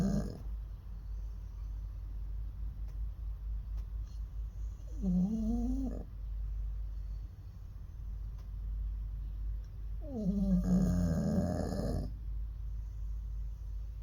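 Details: Jindo dog snoring at the KTN pet welfare centre on 24 January 2023, snoring that grows worse with age: a steady deep rumbling rasp, broken twice by louder, tonal, wheezy snorts.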